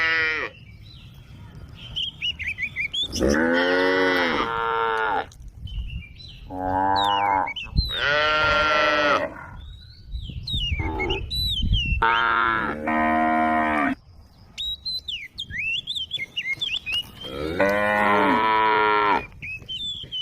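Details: A female cow, among cows wandering along a road at the forest edge, calls with long, drawn-out moos in a loose series while small birds chirp in the background.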